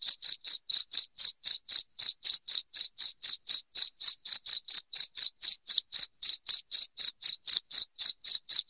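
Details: Piercing cricket chirps aimed at chasing rats from a home: a continuous, fairly regular train of high pulses, around four per second, with no background sounds.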